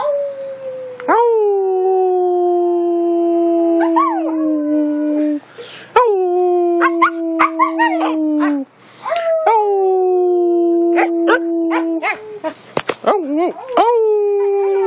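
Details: Pet Siberian Husky urged by its owner to vocalise, giving a run of drawn-out howls that start high and slide slightly downward, each a few seconds long, separated by brief yips and whines, with a person talking alongside.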